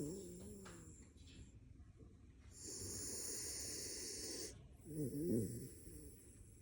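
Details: Raccoon named Gel snoring while asleep: two long, breathy, hissing snores of about two seconds each, the second rougher and more rasping. A person asks softly what it is dreaming just before.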